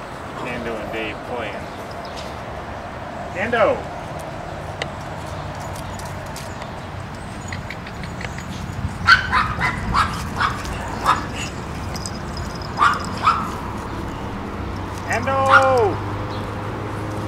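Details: Pekingese dogs raised in a home in Akron, Ohio, giving high yappy barks in scattered bursts and short runs, with a whining rising-falling tone, a person talking and a steady background hum.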